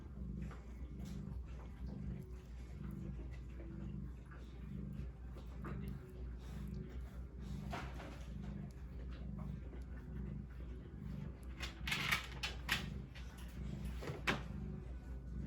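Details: Maine Coon kittens born the day before, a litter of four red tabbies and one white, purr in a low, steady rumble that pulses with each breath.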